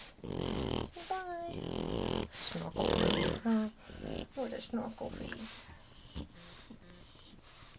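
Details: A litter of French Bulldog babies born on 29 October 2011 to Anais and Hobbit: thin whimpering squeals, some sliding up then dropping, mixed with snuffling grunts and low snorts, repeated irregularly in a small room with handling noise.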